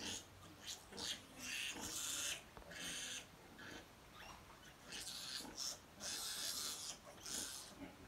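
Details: Fourteen piglets compete to feed from their mother sow, producing bursts of shrill, harsh squealing, loud and repeated in overlapping clusters, with brief quieter gaps between outbursts.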